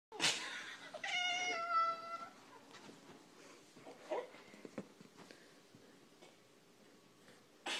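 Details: Domestic cat wearing a chihuahua sweater indoors gives one drawn-out, harmonic-rich meow lasting about a second, followed by faint rustling and a brief soft sound near the end of a quiet room.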